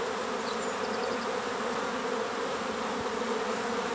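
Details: Honey bees hum in a steady, low droning buzz holding one even pitch throughout, recorded in a forest with some birds singing as well.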